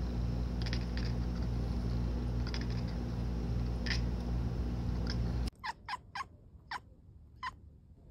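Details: Pet cat chirping and chittering indoors, short clicky harmonic chirps in quick bursts over a steady low hum, then after a cut a cleaner run of sharp separate chirps.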